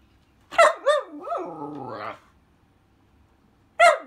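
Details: Pet whippet talking and complaining: a yelp leading into a rising and falling drawn-out howling whine, silence, then a single sharp bark.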